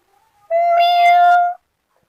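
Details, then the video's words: Kitten playing in grass gives one clear, steady, drawn-out meow lasting about a second, with rich harmonics and a level pitch, in otherwise silent surroundings. "kittens meowings"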